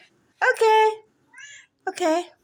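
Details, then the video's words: Domestic cat meowing: a loud drawn-out meow lasting about half a second, a fainter short mew, then another full meow that rises and falls, with a person's voice talking to it nearby. "meowing cat"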